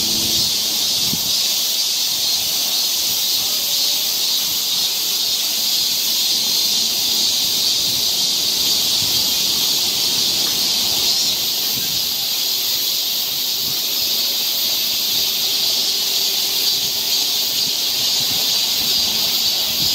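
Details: Cicadas on a summer forest trail in Seoul, Korea, fill the air with a dense, continuous high-pitched hissing drone that holds steady throughout, swelling slightly in places, with no other clear sounds above it.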